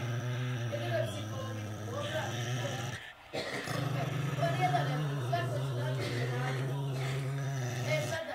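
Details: An angry Pekingese growls steadily in a low, rumbling tone, pausing briefly before resuming.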